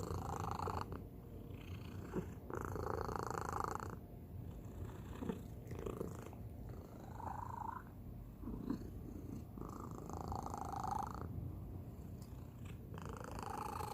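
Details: Domestic cat, the youngest of the household, with a distinctive, unusual purr indoors: a low continuous rumble broken by repeated breathy bursts every couple of seconds.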